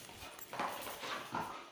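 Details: Suzi, a female Labrador Retriever puppy, during obedience training indoors; a few soft, breathy huffs of panting in quick succession, quiet and short, with faint room noise behind.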